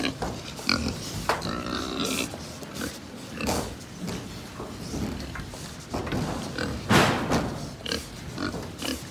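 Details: At a Japanese pig farm, a herd keeps up a murmur of grunts with scattered sharp squeals and clatter. A strong burst comes near 7 seconds.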